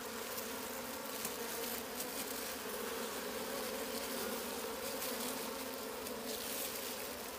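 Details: Wild bees around a hidden wild honey nest, humming steadily and continuously with a low droning buzz and overtones, hiss and faint brief noises above the hum throughout.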